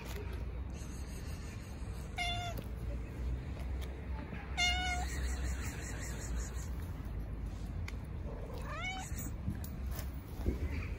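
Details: Stray cats gathering around a person petting a tuxedo cat in an Istanbul park give three separate short, rising-then-falling meows spaced a few seconds apart over steady outdoor background noise.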